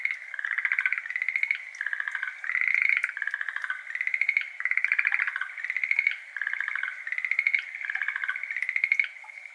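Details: Schlegel's green tree frogs, a species endemic to Japan, call at 6:53 pm on 17 May 2022 by a flooded iris garden. Several overlapping rapid pulsed trills near one pitch rise and fall in bursts of about a second. Recorded binaurally with an ambisonic RODE NT-SF1.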